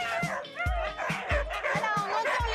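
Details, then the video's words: Harnessed sled dogs led by a lead female bark and yelp excitedly in rapid, overlapping bursts, motivated and eager to start running on a cani-kart outing. "on entend les chiens là, ils ont envie d'y aller là, ils sont motivés, hein, vous avez vu ça un peu?"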